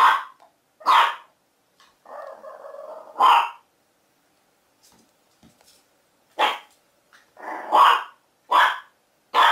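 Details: Young dog barking in short bursts: two loud barks, a throaty growl, another bark, a pause, then a rapid run of four sharp barks.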